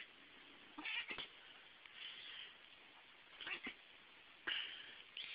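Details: Domestic cat hissing while attacking as it is petted: short, breathy, noisy spits around one, three and a half and four and a half seconds, between quieter grumbles in a small room.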